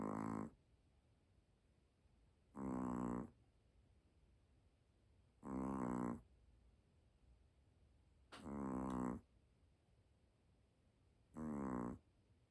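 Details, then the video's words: Dog sleeping and snoring loudly: five rasping, droning snores, each under a second, roughly every three seconds, with a faint room hum between breaths. "코 골면서 자는 귀여운 강아지 | 강아지 코골이 2탄"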